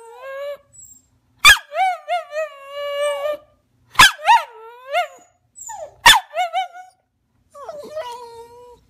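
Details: Little rat terrier begging to jump onto the sofa: quick bursts of yips sliding into wavering, bouncing whines, repeated three times, then a softer, lower trailing whine at the end.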